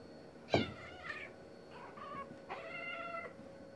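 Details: Two male domestic cats, a black-and-white tom and a neighbour's male, fighting over territory: a sharp hiss-spit burst, then harmonic, wavering yowls and a long strained caterwaul with steady pitch, all at close range.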